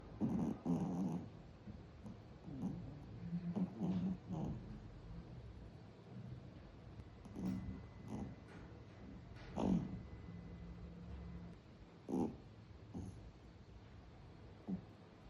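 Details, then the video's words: Sleeping puppy snoring: low, rumbling breaths come in uneven bursts about every one to two seconds, with a few louder snorting pulses between quieter stretches of breathing. "잠든 강아지의 코골이 소리"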